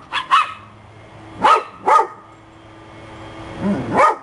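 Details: December dogs, happy pups, letting out paired sharp barks: two quick ones, a pause, another pair, then a lower double bark at the end, with quiet room hum between.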